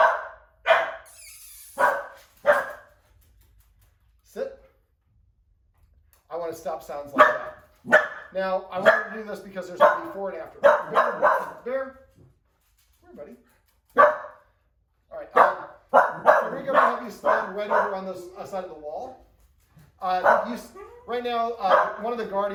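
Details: A rescued Chihuahua mix in Santa Monica gives a quick series of sharp, high alert barks at a knock near the door, apparently expecting someone to come in, during a counterconditioning training session.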